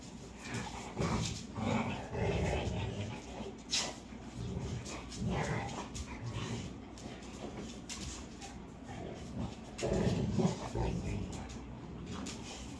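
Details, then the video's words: Labrador and American Bully at play, giving low, rough growling and grunting bursts in uneven runs every second or so, with a soft whimper among them and no clear sharp barks. "Labrador and American bully playing"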